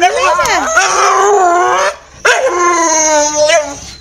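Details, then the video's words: Excited Staffordshire Bull Terrier greeting its owner just home from work, keyed up for the evening walk: two sustained, wavering howl-like vocalizations, the first sliding down then holding, a brief silence, then a second long moaning call. "Staffordshire Bull Terrier talking & barking"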